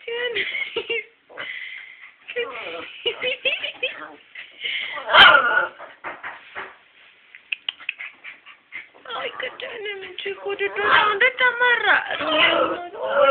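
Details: An angry Miniature Schnauzer, tied to a door, lets out a run of high, strained whines, yips and wavering howl-like cries.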